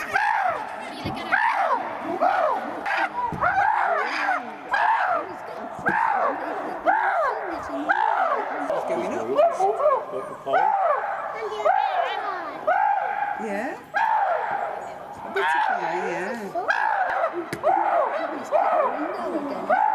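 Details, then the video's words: Three castrated male chimpanzees, Tommy, William and Peter, fighting at Chimpanzee Eden, Twycross Zoo, as Peter repeatedly whacks Tommy; a dense, continuous chorus of loud arching screams, rising and falling in rapid overlapping bursts, roughly one per second, with no pause. "Chimp Gets Injured As Loud Fight Breaks Out"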